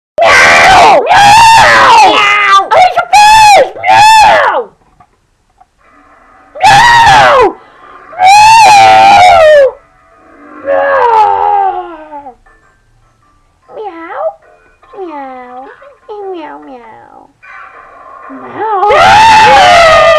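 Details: Angry cat giving loud, harsh yowls in quick bursts, each a wavering drawn-out cry, with quieter rising and falling moans and short whines between bursts, then a final loud yowl.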